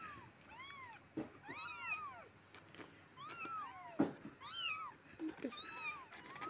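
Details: Four rescued stray kittens calling during cleaning: repeated high arching meows in quick succession, some doubled or overlapping, over soft background noise and occasional handling knocks.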